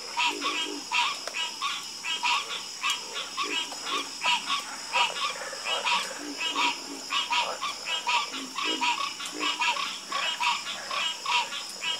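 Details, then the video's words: Dense nighttime frog chorus: many overlapping, pulsed croaks tumble over one another in quick, uneven bursts, joined by deeper throaty notes, over a continuous shrill insect whine. "Calming Sound Of Harmonious Frog Croaking"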